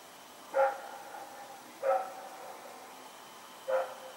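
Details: Rex, a dog running around at night, recorded September 21, 2018: three single barks spaced about 1.5 seconds apart, each short and harmonic, over a faint steady background hum.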